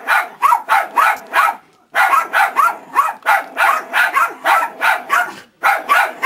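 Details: Dog yapping fast and steadily, sharp bark after bark in quick runs with two brief pauses, each yap bright with a slight upward inflection.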